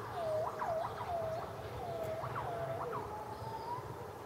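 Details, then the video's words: A gibbon gives clear, swooping morning whoops that dip and rise again in quick succession. "Gibbon vocalisations matinales"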